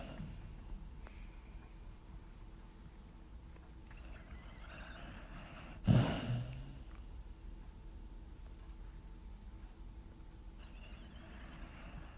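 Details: A sleeping dog recorded in 2016, breathing softly and slowly in low, airy breaths, broken once midway by a sharp snort-like exhalation before calm, quiet breathing resumes over a faint steady hum.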